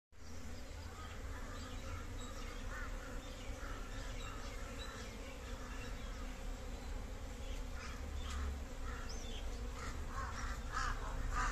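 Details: Asian honey bees (cerana) in a Kashmiri backyard hive hum in a steady, low, droning buzz from a busy colony.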